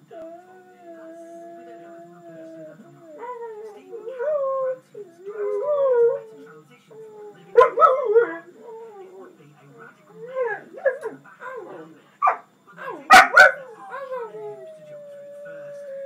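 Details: A jug and a husky howl together: long steady tones, then wavering, rising and falling howls, broken by several short sharp yelps and barks in the second half, ending on a held note.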